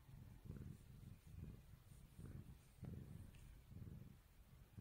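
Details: Face-rubbed kitten purring, a deep pulsing rumble broken into quick repeated breaths roughly twice per second, with slight rustle of fingers on fur.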